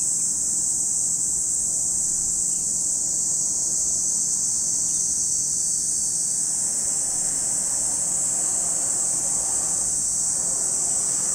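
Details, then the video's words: Cicadas at Lake Kamo in Sado City, Niigata Prefecture, Japan: a steady, high-pitched, shimmering buzz that holds unbroken for the whole stretch, with no other clear sounds. "Lake Kamo in Sado City, Niigata Prefecture, Japan, where you can hear the voice of cicadas."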